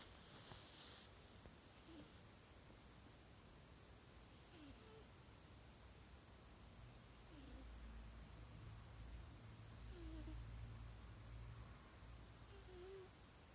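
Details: A domestic cat snoring very softly indoors, a faint, breathy, rhythmic rasp that returns about every two to three seconds, with a low steady hum underneath and no other voices.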